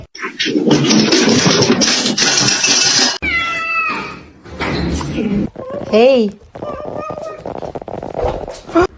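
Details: Domestic cats talking, from a funny cat compilation: after several seconds of loud human speech, a short series of stacked, harmonic meows, then a rising-and-falling arched meow near the end, with voices continuing around them.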